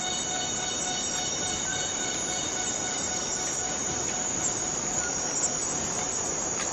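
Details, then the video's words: A Borneo rainforest cicada gives an unbroken, piercing high buzz, even in loudness throughout, with thin steady tonal lines running beneath the hiss. "Borneo Rain Forest Cicada - Cicada sound - cicada noise"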